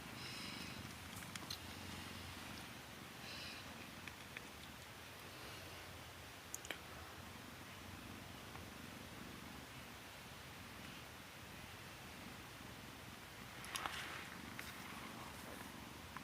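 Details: Mother cat with her kittens indoors: soft, continuous low purring runs steadily through the stretch, with faint brief higher rustles and sniffs over a quiet room hiss.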